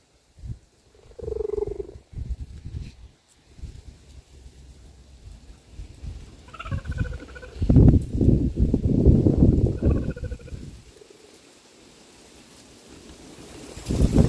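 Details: Philipina, a mother cheetah, calls her cubs to come outside and play. Brief tonal calls with stacked harmonics rise out of low, rumbling purr-like stretches, with scattered broadband thumps and rustling throughout.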